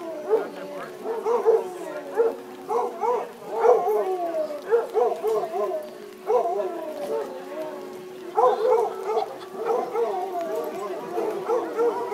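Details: Basset Hounds competing for best howl outdoors in Woodburn, Oregon, on a rainy July 2011 afternoon. A chorus of overlapping baying howls rises and breaks into rapid yodelling pulses, with brief pauses between bouts.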